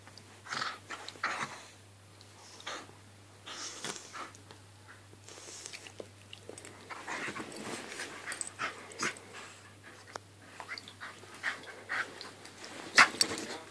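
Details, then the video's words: Two dogs, a Staffordshire Bull Terrier and a Jack Russell Terrier, playing together; rapid snorts, rough panting breaths and scuffling bursts keep coming throughout, with a low steady hum that drops away partway through. "Staffy v Jack Russell"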